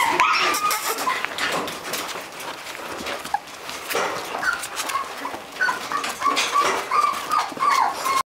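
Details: Poodle cross puppies, all female, whimpering together: short, thin, high whines in quick overlapping bursts, several callers at once, over steady scuffling and rustling noise.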